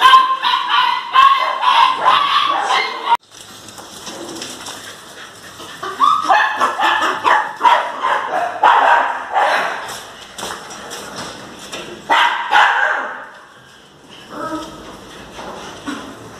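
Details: Jagdterriers giving bursts of excited, rapid barking, about two or three barks a second, in loud clusters separated by quieter stretches of fainter yaps and background noise.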